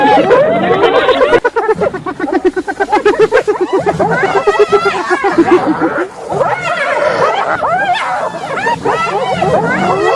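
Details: Hyenas calling together: a fast run of pulsed, staccato giggling notes for the first few seconds, followed by overlapping rising and falling whooping calls from several animals, with a steady background hum.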